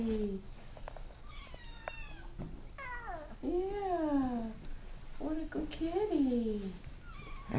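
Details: Maine Coon cat indoors, meowing repeatedly: a short low cry, then drawn-out arching meows that rise and fall, some with a chirping start, while a person speaks softly between them.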